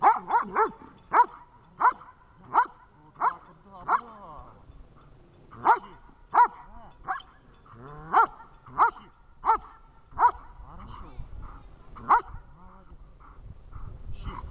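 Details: Dog Vesta in training, Horlivka, 20 July 2019, barking in a fast regular run of about ninety barks a minute, pausing briefly midway before resuming with evenly spaced sharp barks.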